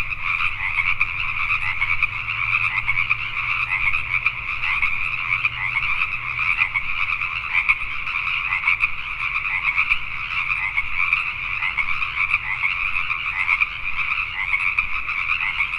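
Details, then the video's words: Pacific tree frogs in Richmond, British Columbia, Canada, calling at night. A massed chorus of overlapping croaks rattles on without pause. A faint low hum fades out partway through. "Pacific Tree Frogs at Night"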